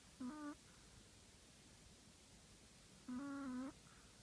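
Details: Two harmonic, whistle-like snores from a Chihuahua, the so-called shop manager, asleep indoors. A short one is followed three seconds later by a longer, steadier one with a clear ladder of buzzy overtones; otherwise only faint background hiss.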